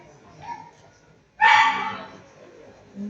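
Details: Shetland Sheepdog at a dog sports competition giving a single loud, harsh bark-like yelp after a quiet stretch, fading over about half a second; a person's voice is faint beforehand.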